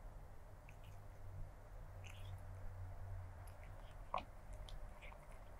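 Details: Stray black cat chewing and crunching food, close-miked: sparse crisp bites and clicks scattered through the clip, one louder crunch near the end, with a constant low droning hum underneath.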